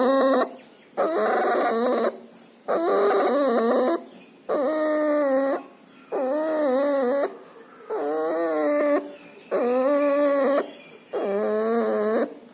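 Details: Pneumonia and distemper leave this puppy breathing loudly: strained, whining wheezes with a wobbling pitch, each about a second long, repeated roughly every 1.7 seconds, seven in sequence with short silences between.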